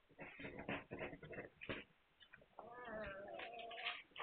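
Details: Hungarian Vizsla puppies, 9 March 2021, burst into a rapid run of short, squeaky yelps, then one long, even whine lasting over a second, with shuffling noises underneath.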